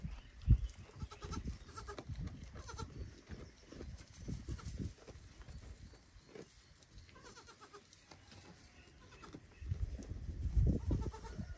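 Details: Baby goat loudly calling its mother so she will feed it, after watching her eat; short bleats early on amid heavy low thumping and handling noise, with louder knocks near the end.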